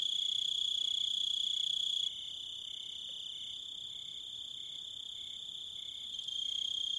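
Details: Shrill cricket chorus with a constant high trill and a lower cricket pulsing in short evenly spaced bursts; the overall volume drops abruptly after two seconds and rises again near the end.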